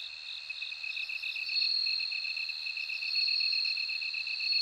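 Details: Bell cricket singing: clear, bell-like high tones ring out in drawn-out notes over a constant, rapidly pulsing insect trill that grows slightly louder toward the end.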